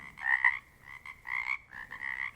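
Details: A chorus of Pacific chorus frogs from the Pacific Northwest, each frog sounding slightly different; grating two-note croaks swell and fade in roughly half-second bursts, with a steady ringing drone of more distant callers between them.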